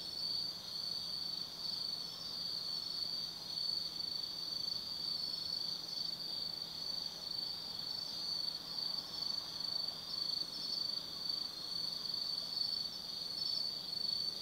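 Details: Autumn night insect chorus in the Tsukimi no Mori forest, Kaizu, Gifu Prefecture, Japan, above the Nobi Plain: a sustained piercing trill with gently throbbing loudness and faint background rumble.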